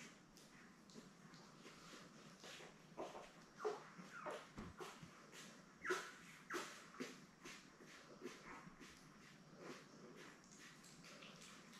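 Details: Seven newborn Labrador Retriever pups born May 24, 2021, with mother Belle in an indoor pen; faint squeaks building into louder whiny cries mid-way, a few yips, then softer whimpers again, irregularly spaced.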